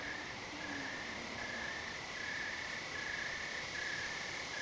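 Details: At night, under thick clouds after a walk, crickets and maybe some other insect give a steady, shrill trill broken into short pulsed bursts, with a thin high hum above.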